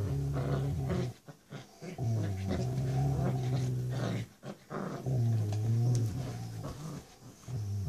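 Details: Six-week-old female Rottweiler pup playing tug o' war with her mom, producing low throaty growls in stretches of one to two seconds separated by short gaps and scuffling sounds.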